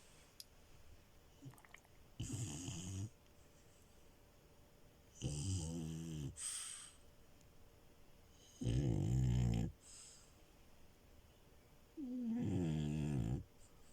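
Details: Sleeping French Bulldog puppy Milo on a bed; four loud snoring breaths about every three seconds, each a low rasping rattle, some with a whistly tone rising at the end, quiet between breaths.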